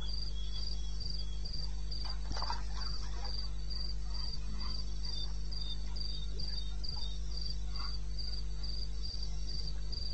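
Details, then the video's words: Crickets calling in the wilderness of eastern Botswana around 2:30 at night in May; steady, evenly spaced high chirps, about four per second, with a second fainter chirping caller slightly lower and a constant low hum beneath. "1 Hour cricket sound-Africa-No loop-Real recording. Not edited."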